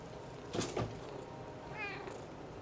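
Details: A Siamese cat sitting on an open window, which the owner thinks is for watching birds outside, gives a short, soft meow that bends slightly in pitch after a few brief knocks or clicks, indoors and quiet.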